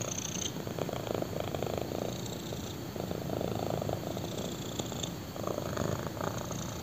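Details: Kitten, black, purring contentedly on a human thigh; low buzzing rumble alternating in gentle breath-length swells, with occasional faint rustling.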